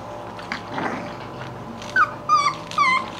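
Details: English Bulldog puppies at play indoors: three short high yelps in quick succession near the end, each sliding slightly downward, after a quieter stretch of shuffling and faint background noise.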